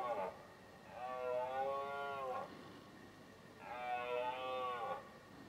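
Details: A red deer stag belting out bellows in the rut, 2018. Two long, hoarse, harmonic roars, each lasting about one and a half seconds with a slight downward bend, follow the tail of an earlier call. The calls are separated by a short pause.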